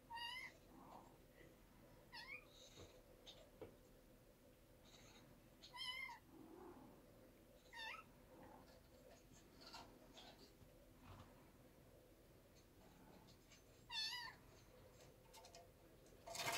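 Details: Domestic cat showing a kid how not to be afraid of heights during a first bold jump. About six clear, wavering meows, each rising then falling, spaced every two to six seconds, with faint rustling between.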